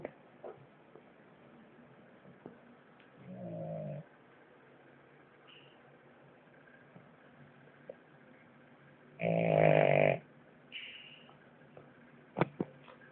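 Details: Natsuo, a French Bulldog, snoring louder than ever before; a soft rasping snore near four seconds, then a much louder, harsh, buzzing snore lasting about a second, with quiet room noise between.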